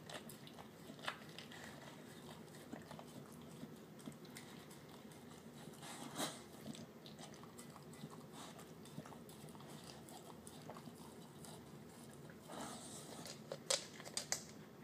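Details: Terrier mix dog indoors eating his dinner of canned food mixed with kibble; soft wet mushy chewing and smacking with scattered sharper crunchy bites, louder bursts near six and thirteen seconds, low room hiss throughout.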